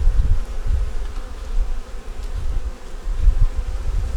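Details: Winter inspection of a honey bee nuc working to survive the cold, with a yellow queen, eggs and brood at the top: a dense, deep drone that swells and fades, mixed with faint rustling and no voices.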